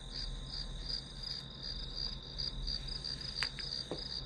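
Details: Grass insect chirps pulse steadily high up in quick succession, a continuous shrill train laid over a low background hum, with a couple of brief sharp clicks near the end.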